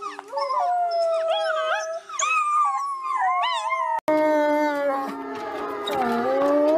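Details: Several wolves howl in chorus, with warbling, bending notes and short yips stacked at different pitches; after an abrupt cut, a denser group chorus of lower sustained howls continues beneath wavering higher voices.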